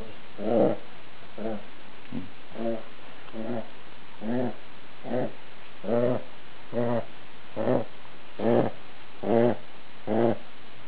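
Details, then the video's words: Sleeping domestic dog snoring, each breath a low buzzy rasp with stacked harmonics, repeating about every 0.85 seconds in a steady, even pattern. "dollar dog snoring"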